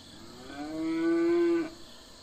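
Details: Domestic farm cattle giving a single steady moo of about one second, a smooth sustained low tone with rich harmonics, swelling in at the start and cutting off cleanly over a quiet background.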